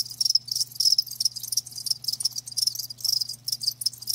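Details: Several crickets chirp together, sharp high pulses tumbling in irregular quick bursts with barely any pause, layered over a steady faint low hum.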